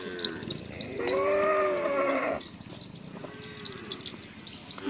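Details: Cattle at a karapan sapi training session at the Asemanis field: one arching, tonal moo lasting just over a second, followed by a fainter short call amid crowd noise.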